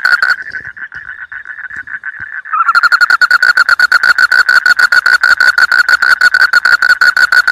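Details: Frogs in a rice field call in a dense chorus of fast, rattling pulses, steady and loud throughout.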